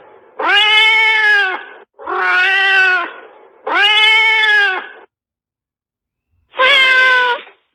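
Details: Fierce cat producing four harsh, raspy, strained yowls of about one and a half seconds each, three in quick succession and a final one after a pause of over a second.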